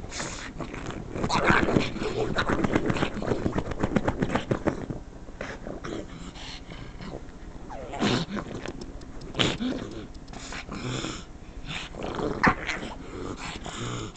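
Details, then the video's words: Pug, a female house dog, complaining at the noise of the couch being scratched: dense grumbling growls that ease into whimpering moans, with a person speaking softly near the end. "Pug making really funny noises!"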